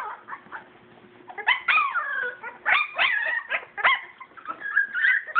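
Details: Young purebred English Springer Spaniel puppies at play call in bursts of thin, bending whines and sharp yips, some rising then falling, clustered and irregular over a quiet low hum, a faint voice now and then.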